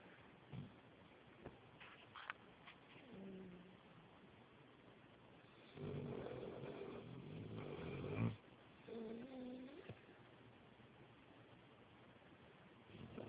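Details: Sleeping puppy snoring loudly: a long, low rasping snore lasting about two and a half seconds, with fainter breaths and short tonal squeaks before and after.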